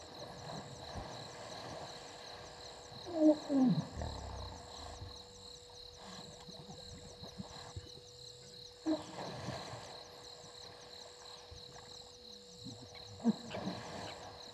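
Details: Two hippopotamuses sparring in Gowrie dam, Djuma Game Reserve, Sabi Sand Wildtuin, South Africa, at 19:22 on 16 November 2021, caught by a live waterhole camera: loud, harsh low grunting bursts near the start, then shorter ones later, over steady insect chirring and hum.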